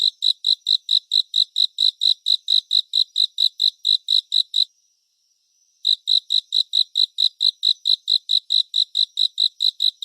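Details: Bright, high cricket chirps pulse evenly and rapidly, stop for about a second midway, then resume at the same pace, in a 3D surround relaxation recording with a clean background.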